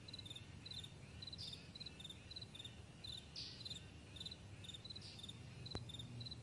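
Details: Morning chorus of crickets across a wide meadow: rapid repeated high chirps in paired pulses, a few louder rasps, and a steady low background hum.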